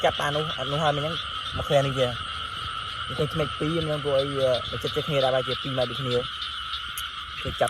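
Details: Night-time frogs give a run of buzzy, wavering croaks. The calls cluster in quick doublets and triplets over about six seconds, then fade. A constant high insect drone plays underneath.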